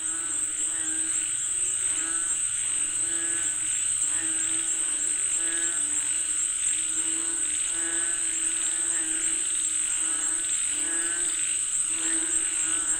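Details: Frogs calling for rain: a dense night chorus of repeated harmonic croaks, several overlapping callers pulsing irregularly, over a steady high insect drone and a constant low hum.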